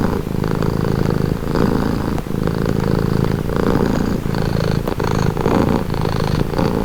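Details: Close purring of a pet cat: a deep, vibrating rumble pulsing in rhythm with each breath, even and unbroken throughout.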